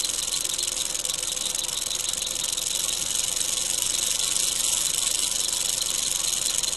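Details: Wild eastern diamondback rattlesnake encountered while field herping in Florida gives an unbroken, high, sizzling rattle buzz at an even loudness from start to finish.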